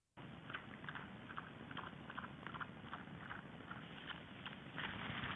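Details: A lone wild boar (Sus scrofa) feeds in February, with irregular crunching and rustling bursts over a steady background hiss, occasionally scratching an itch.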